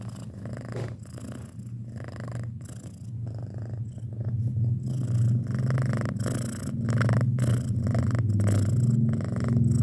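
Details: Six-month-old pet cat purring indoors, a steady low rumble with rhythmic pulses, growing slightly louder and fuller toward the end, with faint intermittent breaks between breaths.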